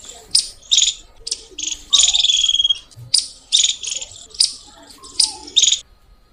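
A squirrel gives loud, shrill chirps in quick bursts, each a sharp high chip repeated several times.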